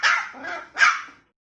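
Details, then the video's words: Snow-white spitz puppy indoors, angry at being put up on a stool or sofa and left stranded, gives two sharp high barks about 0.8 seconds apart, the first trailing into a lower whine. "Puppy angry when put on a height"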